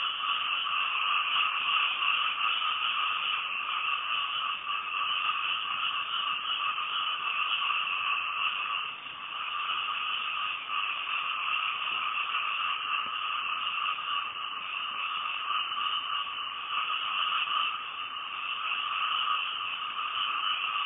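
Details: Many frogs in Thailand call together after dark by a house, a constant buzzing hum in two bands that dips briefly near the middle before swelling back to full, steady strength.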